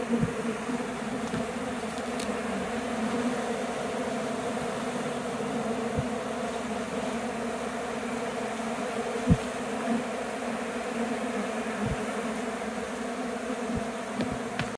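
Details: Airborne honey bee swarm circling back to a hive box from a recent removal, having attempted to abscond without the caged queen; an unbroken, even hum of countless wings, with occasional soft taps.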